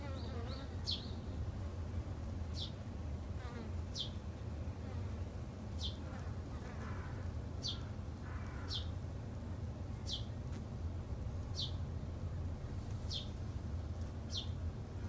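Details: Japanese honey bees kept by a beginner garden beekeeper of three months: a steady low droning hum throughout, overlaid by sharp descending high chirps from a bird repeating roughly every one and a half seconds.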